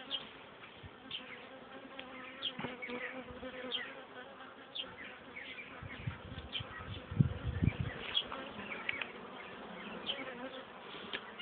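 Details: Honey bees hum inside an opened hive while the beekeeper inspects it on 30 June 2013; the colony is working well and bringing in pollen. A continuous buzzing drone with scattered louder bee passes and soft handling knocks.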